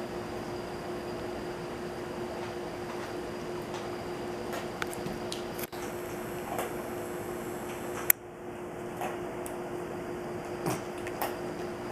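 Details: Steady indoor hum of a fan or appliance with a few soft clicks and knocks, and no animal voice. No howling or other calls can be picked out over the room noise.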